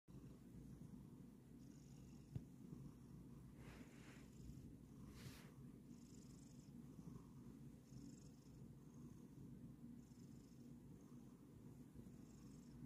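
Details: Kokoa, a Bengal cat, purrs while relaxing during a massage. The purr is a soft, steady, low rumble that runs without a break, with faint rustling above it.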